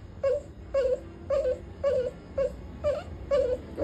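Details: Puppy crying after being scolded, giving short nasal whimpers about twice a second, each a brief wavering cry, eight in a row over a faint steady background hum.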